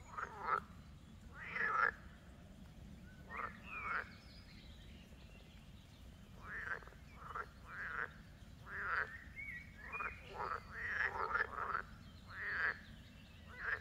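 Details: Chorus of frogs croaking, the sound a dog was thrilled by from far off: dense rasping, pulsed croaks from many overlapping callers, bursts roughly every second, over a continuous low rumble.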